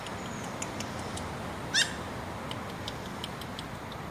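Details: A hesitant dwarf German Spitz (Pomeranian) puppy, which barks and then hops like a rabbit, gives one sharp, high-pitched yip against a steady background hiss.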